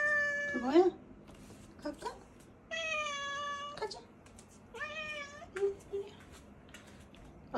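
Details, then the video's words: House cat talking all day in a pretty voice when she wants something, several long meows and short chirps in quick succession, over a low steady indoor hum. "뭔가 원하는게 있을때만 들을 수 있는 우리 모찌 목소리"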